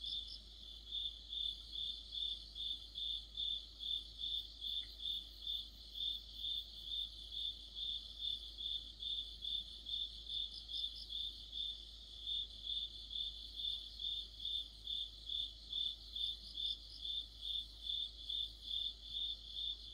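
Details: Deep autumn night chorus, crickets and other insects near a streetlight; one loud cricket pulses high and regular, roughly 140 chirps a minute, while a fainter second trilling voice rises and falls behind it.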